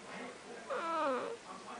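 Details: Snuggles, a pet cat known for talking, lets out a single drawn-out meow that bends up and then down, clear over low room hush.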